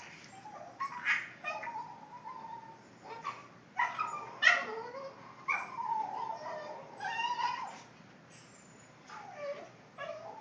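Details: Boston Terrier making funny noises: a run of high, wavering whimpers and yelping whines, some rising and falling in tone, in bursts separated by short pauses.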